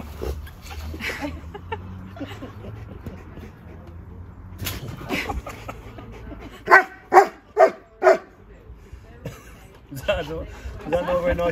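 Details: Siberian Husky named Keyush visiting a friend's house: four loud, short, tonal yelps in quick succession after quieter mixed voices and household murmur, with more muffled vocal sounds at the end.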